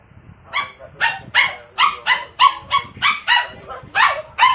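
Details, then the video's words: A jealous pet Poodle, upset by a stuffed toy, lets out a steady string of sharp high barks, about two per second, over a quiet indoor background. "Jealous Poodle"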